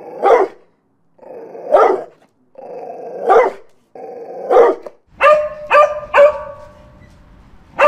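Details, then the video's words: Dog barking in a mastered compilation: four spaced barks each preceded by a low growl, then a quicker run of three sharper, higher barks and a final one. "Dogs Barking for 12 hours"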